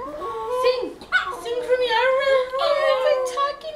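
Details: Dog performing a singing trick taught by its owner at a sleepover, producing a sustained wavering howl that slides up and down in long tonal phrases, with a girl's voice speaking just before.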